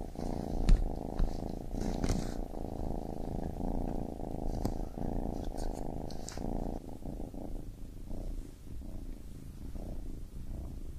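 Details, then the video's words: A baby kitten purrs in a soft, rumbling drone that thins out after about seven seconds, accompanied by scattered light clicks and rustling noises. "Baby Kitten Purring"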